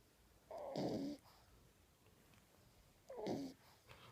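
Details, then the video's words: Ten-week-old male French Bulldog puppy asleep with his tongue out, snoring: two breathy, rasping snores about two and a half seconds apart, each lasting roughly half a second, in a quiet indoor room. "French bulldog snoring"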